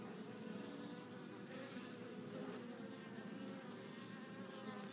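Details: Many honey bees arriving back at the hive with pollen; an even, thick hum of wingbeats that holds steady for the whole short stretch with no breaks.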